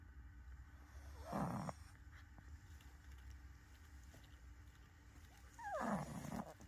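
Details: Sleeping pug giving two rough, breathy snores about four and a half seconds apart, each a short raspy burst with a low buzz, over a steady quiet room hum.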